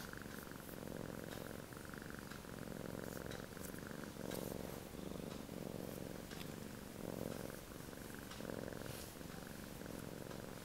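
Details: A male Sphynx cat snores while relaxing: rough, buzzy breaths swell and fade in a slow rhythm about every one and a half seconds, steady and unbroken throughout.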